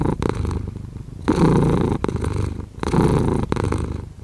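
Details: Low rumbling purr of a domestic cat heard close up, alternating louder and softer stretches with each breath over a few seconds.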